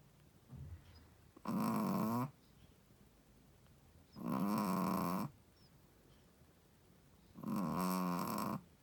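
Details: A Shih Tzu mother dog asleep and snoring: three loud, buzzing, rasping snores roughly every three seconds, each nearly a second long, with a faint short snort before the first.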